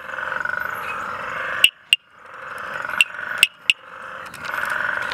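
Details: Tinker reed frog (Hyperolius tuberilinguis) in Mtunzini, KwaZulu-Natal, South Africa, giving sharp, metallic tink clicks over a droning background chorus.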